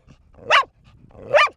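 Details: Bear, a female dog of four, gives two loud, abrupt barks nearly a second apart while taunted with a toy during a two-minute barking bout.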